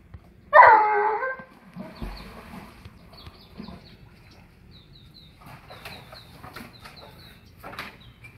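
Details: An Alaskan Malamute that jumped into a pool and was left alone for a moment cries with one loud, wavering whine near the start, then quiet splashing and faint high chirps in the background.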